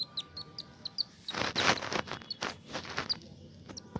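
A baby Indian palm squirrel gives thin, high squeaky chirps in quick, uneven succession.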